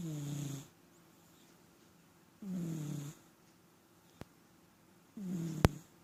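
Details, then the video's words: House cat that often snores, heard in a small room: three low, grating inhaled snores, each sliding downward in pitch and recurring about every two and a half seconds, separated by quiet gaps with two sharp clicks. "Кот храпит"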